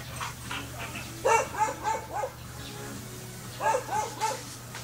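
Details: Belgian Malinois stud of a rare color barking: sharp, clipped barks in a quick run of four, a pause, then three more, over a steady low electrical hum.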